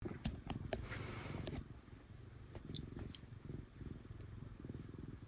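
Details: A female domestic cat gives a loud, continuous purr while enjoying being petted, a low throbbing rumble rising and falling with each breath, with faint rustling and clicks from handling over it.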